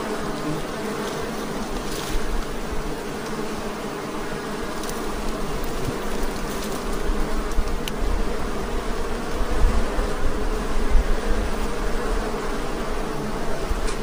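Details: Honey bees at a very aggressive hive, giving a dense, unbroken droning buzz with steady low humming bands. The hum swells slightly louder toward the end, with rumbling handling noise underneath and faint clicks.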